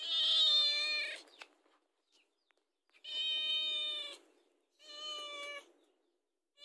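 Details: A domestic cat begs for food, uttering three drawn-out, strongly harmonic meows spaced about two seconds apart, the first loudest and slightly falling, the later two steadier and shorter; quiet in the gaps.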